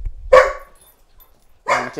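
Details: A dog barks during a leash-training session against excessive barking, where the trainer uses leash pressure and the command "and off". Two short harmonic barks are heard about one and a half seconds apart, with quiet handling noise between them.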